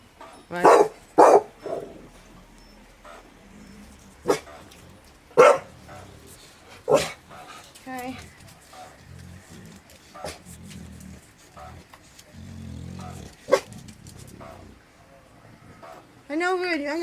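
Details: Staffordshire Bull Terrier named Brian reacting to a strange noise with a series of abrupt barks at uneven intervals, two quick ones first, then single barks spaced a second or more apart, while Spanish-speaking voices talk quietly between them.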